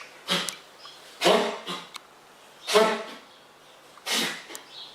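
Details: Wild fox named Frank having a sneezing fit indoors in a kitchen; four sharp, breathy bursts about a second apart, broadband and noisy, with quiet room sound between them.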